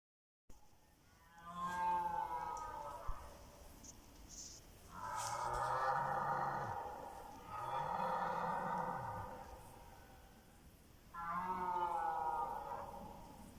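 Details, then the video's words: Red deer stags roaring during the evening rut, several bulls calling over one another after dusk; four drawn-out, harmonic-rich bellows, each lasting one to two and a half seconds, separated by short pauses. "Wieczorne ryki jeleni"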